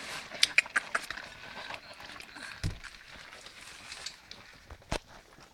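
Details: Three-week-old pups at their first meal: short, sharp, high squeaks burst out in the opening second, followed by clicking, lapping and rustling as they investigate the food.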